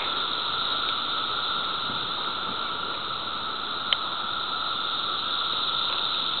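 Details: A dense chorus of seventeen-year cicadas in Ashworth Park, Des Moines, around 14:54 on June 28, 2014, during the emergence, makes a steady, whooshing drone with no breaks.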